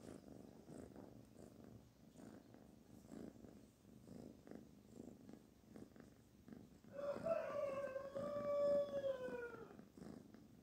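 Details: Kitten Barfi being petted, a low rhythmic purr running throughout, then a long drawn-out meow with falling tone near the end.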